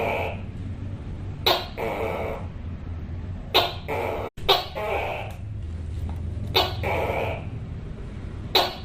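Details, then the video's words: Tokay gecko calling, described as loud and eerie, a female calling a male from a wall: sharp clicking onsets each followed by a two-part croaking note, repeated about every two seconds over a steady low hum. "Suara Tokek Yang Keras Seram, Suara Tokek, Sound of Tokay Gecko, Tắc Kè, เสียงตุ๊กแก..ร้องน่ากลัว"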